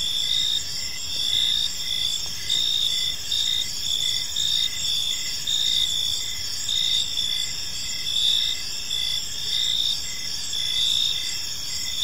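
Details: Gentle chirping of crickets in a serene park as evening unfolds, a thick high-pitched shimmering chorus with regular pulsed chirps about twice a second, steady and unbroken throughout.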